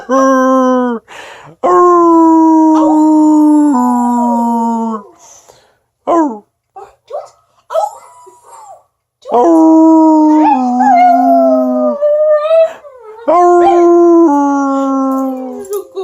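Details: A newly acquired pet dog howling: long, sustained tonal howls that hold steady, then sag lower in pitch. Each is separated by short pauses filled with brief yips and whimpers, loud and close to the microphone.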